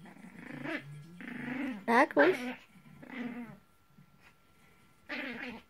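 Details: Maltese dog tugging on a toy, giving throaty growls and whiny, rising vocal bursts in rapid bouts, mixed with a person's voice in a small room.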